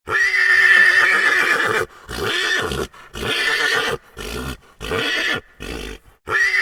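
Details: Horse giving a long, shrill, steady whinny, then a string of shorter rough, breathy bursts with brief gaps, and the start of another whinny at the end.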